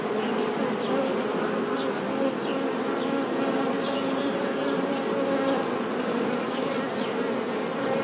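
Bees buzz in a steady, low droning hum that wavers slightly but never stops.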